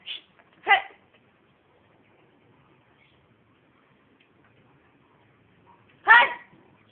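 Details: Brando, a pet pit bull recovering from mange treated with madre de cacao leaves blended in virgin coconut oil; two short sharp barks near the start and another after a pause of about five seconds, in a quiet setting.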